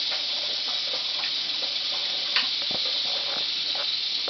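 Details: Big captive male western diamondback rattlesnake, Crotalus atrox, about 140 cm long, rattling furiously: a steady, dense buzzing hiss sustained without pause throughout, with faint scattered clicks underneath.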